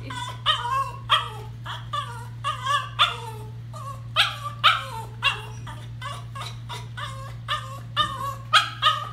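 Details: Norwich Terrier protesting hand-stripping at a grooming session; repeated whiny, moaning yips in uneven bursts, some drawn out and falling, over a constant low hum from equipment.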